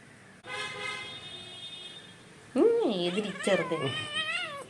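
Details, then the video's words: Angry pet kitten named Kunjan: after a steady held tone, drawn-out wavering yowls bend up and down in pitch over about two seconds, loud and strained, with human voices nearby. "Angry Naughty kitty / കുഞ്ഞന്റെ ദേഷ്യം"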